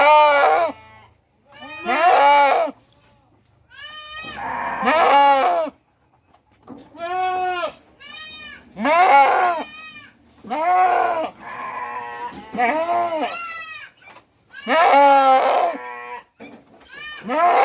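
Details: An Indian goat in Mumbai bleats again and again, loud quavering cries as a mother calls for her kid.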